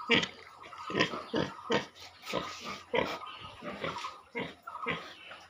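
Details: Pigs at a piggery giving short broadband grunts and squeals, repeated roughly every half second to second, with faint voices in the background.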